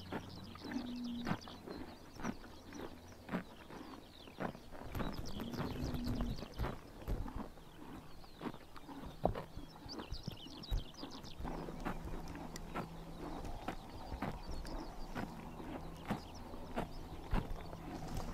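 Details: Grass cropped by horses on a summer morning in Mongolia, heard as dense, uneven crunchy bites and rips, with brief low tonal murmurs near the start and middle, and a soft rural background.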